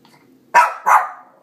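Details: Pet female Shih Tzu, three years old, barks at her reflection: two quick, loud barks in succession, the second trailing off, as her owner praises and questions her nearby.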